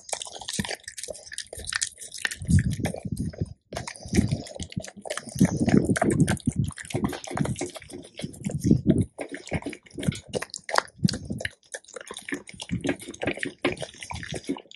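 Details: Raw bones, deer ribs and quail, being crushed by a Labrador retriever at mealtime: continuous crunching and grinding with deep, wet, sloshing chomps and bright cracks throughout, briefly pausing near four and twelve seconds.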